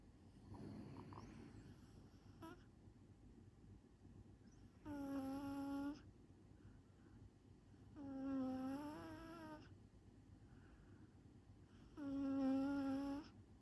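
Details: Smooth Chihuahua rescue dog, sound asleep on its second day in a new home, snoring loudly: three droning, whistle-toned snores about a second long, spaced roughly three and a half seconds apart, in a quiet small room.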